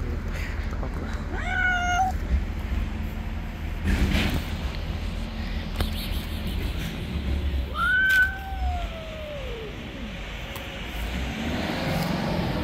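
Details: Street cats clash in an angry white cat's territory; a short wavering yowl early on, later a rising-then-falling drawn-out wail around eight seconds, over steady low traffic hum and faint scattered clicks.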